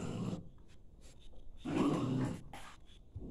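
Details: A dog called Tutu is presented as a talking dog. Its low, moaning growl-like utterance of about half a second rises out of quiet panting and shuffling indoors.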